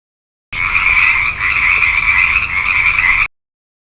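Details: Frog giving a steady, unbroken rasping trill that holds an even, fairly high pitch for nearly three seconds, starting and stopping abruptly, with no other sounds.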